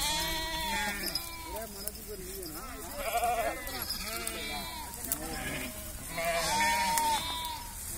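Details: Several sheep on a village farm bleating repeatedly, with overlapping wavering bleats of varied pitch spread across the clip and steady low background noise.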